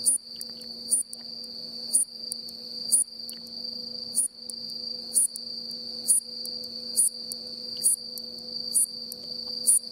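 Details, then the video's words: A worn-winged bush katydid (Hexacentrus hareyamai) calls on an October 9, 2017 afternoon in farmland on Mishima, Hagi, Yamaguchi, Japan, with its plain "sii-chon" song: a sharp high chirp about once a second over a steady insect hum. "［見島のいきものたち 386］鳴くハヤシノウマオイ Hexacentrus hareyamai（Ⅲ）"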